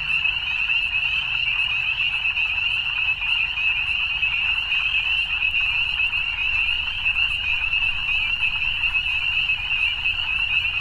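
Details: A steady evening frog chorus: countless high-pitched rapid trills merge into a constant shimmering buzz that holds evenly for the whole stretch, with only soft low rumble beneath.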